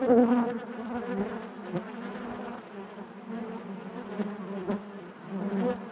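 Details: Natural buzzing of honey bees in the hive, a warm low drone that starts loud, dips, then builds again near the end, with faint taps.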